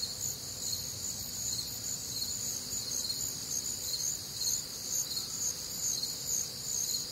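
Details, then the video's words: A warm, humid summer night in the Midwest, with many crickets trilling together in high, bright layered bands that swell and fade in loose pulses over a quiet low background hum. "Night Time Cricket Sounds"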